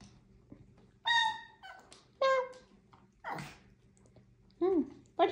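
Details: Sassy Chihuahua indoors giving a series of short, high whines and yelps, some steady, some sliding down, about one a second, with a woman's voice and soft room noise between them.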